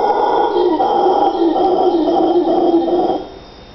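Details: Howler monkey calling at 3 AM in Nosara, loud enough to wake a deep sleeper: a deep, rasping, sustained roar holding steady for about three seconds before breaking off into quiet night background.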